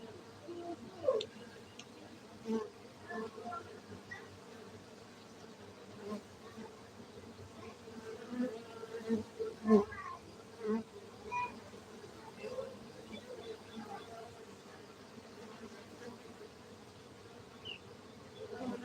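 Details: At a honey bee cultivation site in Gayo, Aceh, Indonesia, a dense, unbroken bee hum continues for the whole stretch, dotted with frequent soft clicks and taps, a louder knock near ten seconds.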